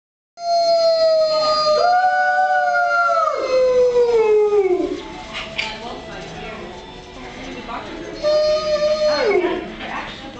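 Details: Wolves at Merle Hay Mall howling: long, steady, harmonic-rich tones that hold level, then slide downward, two voices overlapping early, a quieter stretch midway, then a final shorter howl falling away near the end; faint background murmur.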